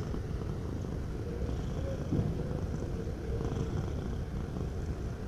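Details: Domestic cat purring steadily at close range, a heavy, even, throbbing rumble with small swells as the cat breathes in and out.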